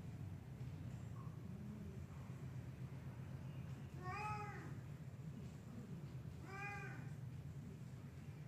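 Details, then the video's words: Perched in a tree, a black cat gives two clear, evenly spaced meows, each a rising then falling arc with rich harmonics, against constant low-frequency background noise. "黒猫登山ツリー | Black Cat on Tree"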